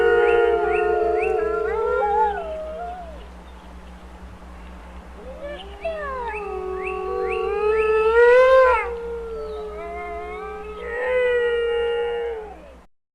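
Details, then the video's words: Wolf pack in a chorus of overlapping howls, some sliding up and down, others held long and steady, swelling and fading in waves over a faint low rhythmic pulse. "Amazing Wolf Howl Compilation | Wolf Pack"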